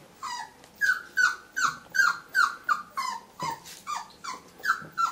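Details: Whippet confronting its reflection in a mirror, producing steady, evenly spaced yelping whines, roughly three a second, each a brief tonal note dropping in pitch, loud and insistent throughout.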